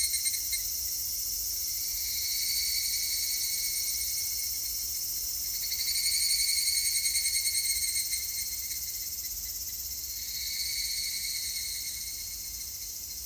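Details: Evening cicadas (Tanna japonensis), recorded 3 August 2021, sing a high, metallic, rapidly pulsing chorus that swells and fades in waves.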